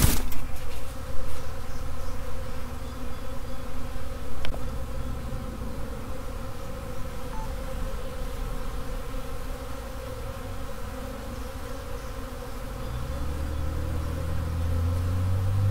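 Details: Honey bee swarm, workers heading back to the original hive without their queen. A dense, steady buzzing drone from many bees; a low rumbling tone rises underneath toward the end.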